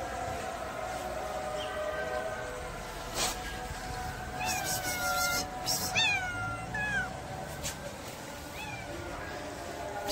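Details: Pregnant domestic cat giving a few short rising-then-falling meows in the middle stretch, over a steady background hum and noise with a couple of brief clicks.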